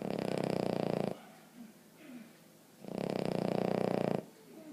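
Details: Sleeping Boston Terrier named Emma Mae snores loudly: two long, harsh, rattling inhalation bursts over a second each, with soft wheezy breathing between them.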